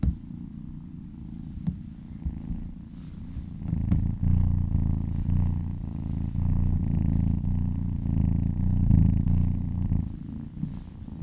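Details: Purring cat enjoying a massage, a low throbbing purr that starts softer and swells louder after four seconds, holding steady with rhythmic inhale-exhale pulses, occasional brief clicks of contact.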